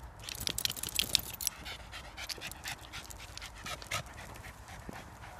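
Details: Dog panting in short rapid breathy bursts, strongest in the first second and a half, then softer rhythmic breaths continuing to the end.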